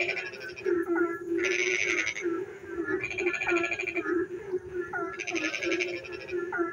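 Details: Frogs singing in the dark night while it rains: a dense chorus with a steady low drone, short rising chirps, and loud bursts of rapid pulsed croaking that start and stop every second or two.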